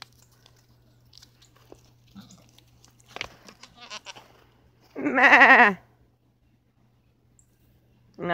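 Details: A domestic goat gives a single loud, shaky, vibrato-like bleat lasting under a second, after quiet chewing and soft rustling. A woman's voice is heard faintly before the call.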